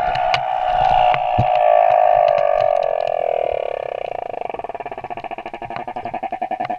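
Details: Humpback whale male song recorded off Moorea: a sustained moaning tone sliding slowly downward, breaking into a rapid pulsed buzzing rattle toward the end.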